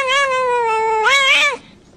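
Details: Domestic cat giving one loud, drawn-out meow lasting about a second and a half: a steady, slightly falling tone that then swells upward and bends back down before stopping abruptly, with a quiet indoor background.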